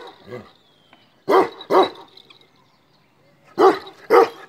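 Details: Male Kashmiri Eksaya livestock guardian dog from the Himalaya: a soft bark, a quiet gap, then two loud paired barks, another pause, and three further sharp barks.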